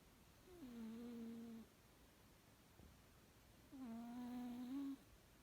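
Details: Pet cat snoring while sleeping comfortably: two steady, humming, nasal tones about a second long each, slightly wavering in pitch, spaced about three seconds apart in a quiet room.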